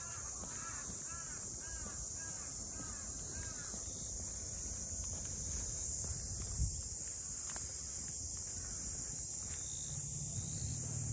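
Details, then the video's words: At the Ine port house townscape north of Kyoto, Japan, cicadas keep up a constant high buzzing drone while a crow gives a run of repeated harsh caws in the first seconds, plus scattered ticks and low rumble. "cicadas voice"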